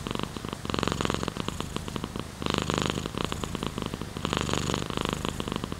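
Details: Domestic cat purr heard closely, a buzzing rattle that pulses with alternating in and out breaths, each surge lasting about a second before a short dip.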